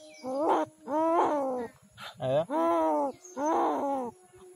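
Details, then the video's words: A dying street cat from Kishoreganj, Bangladesh, wails after a bad dog attack. Five moaning cries come in close succession, one brief and rough, the rest sustained and wavering, rising then sagging in pitch. "Street cat crying to survive but no one come to rescue"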